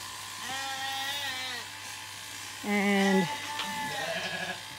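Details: Zwartbles sheep on a regenerative farm in County Kilkenny, Ireland, where surprise late lambs fail to recognise their newly shorn mother. Several wavering, nasal bleats overlap: a long one early, then a louder, sharper cry and shorter bleats.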